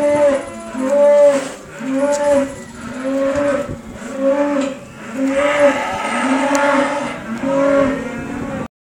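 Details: Repeated short lowing from a cow in the company of a Rhodesian Ridgeback, roughly one call per second, evenly paced and flat-topped, then an abrupt stop.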